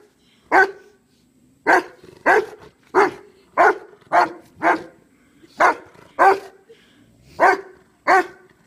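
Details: Kano, a dog guarding the grave of his friend BJ and trying to wake him, gives about eleven loud, punchy barks in a slightly uneven rhythm.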